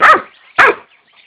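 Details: Barking from a Doberman crossed with a Boxer: two abrupt, harsh, full barks about half a second apart, then silence.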